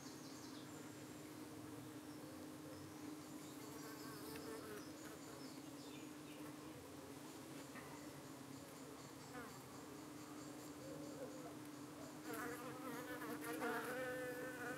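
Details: Evening at a UK beehive where honey bees fend off flies trying to cling to their abdomens. A long unbroken low hum holding one pitch, with occasional brief higher buzzy passes and a louder stretch near the end.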